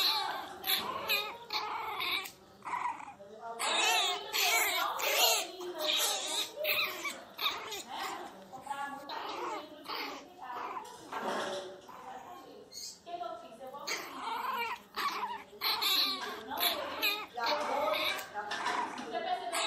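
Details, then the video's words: Miniature Pinscher named Teco, angry and crying very loudly indoors: dense, harsh bursts of barking and growling come in rapid irregular runs, mixed throughout with human voices and some laughter in a small room. "Pinscher miniatura bravo"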